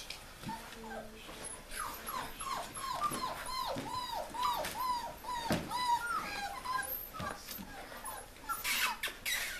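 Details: Bulldog puppies at six weeks old: a rapid series of high, short downward-sliding whines and squeaks, roughly two or three per second, overlapping from several pups, with rustling and a faint low tone.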